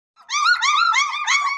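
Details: German Shepherd double coat puppy from a litter of three males and one female in Meerut, giving one drawn-out high whine that wavers up and down for over a second, indoors with no other sounds.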